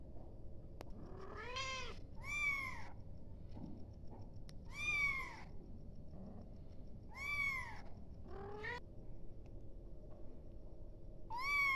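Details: A kitten calling its mother repeats high, bending meows about every two to three seconds, some answered or overlapped by shorter, lower mews, with faint clicks and steady low room noise.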